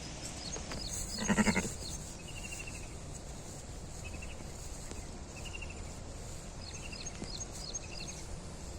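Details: Sheep that gave birth to a six-legged lamb, Bompelli village, Peddapalli district: one loud, quavering bleat of about half a second, pulsing rapidly, over steady rural background with small birds chirping repeatedly in short high bursts.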